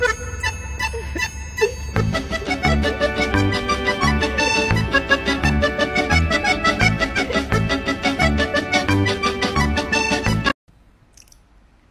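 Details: Accordion-led instrumental music plays with a steady beat, then stops abruptly into near silence for the last second or so, with no animal voice heard.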